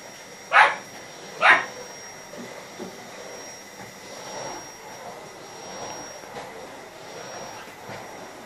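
A Lhasa Apso gives two sharp, high barks about a second apart, objecting to a vacuum cleaner.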